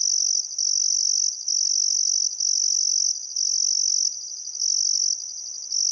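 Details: Chirping crickets at dusk on the Barcoo River, Welford National Park, Queensland, Australia, in still summer weather: a bright, high continuous trill with brief dips roughly once a second.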